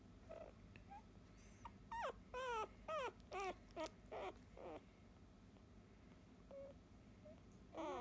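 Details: Eight-day-old field-line Labrador Retriever puppy, born to 2017 JFA grand champion Biscuit, squealing while held for the first time: a run of about seven high, wavering whimpers with falling tails around two to four seconds, then softer squeaks and one final cry.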